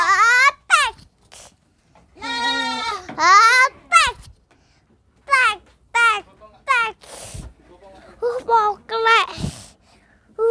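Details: Young goat, hard to catch, bleating in short wavering, quavering cries while a child plays with it; bleats come in bursts of one to two seconds, mixed with children's and adults' voices talking nearby.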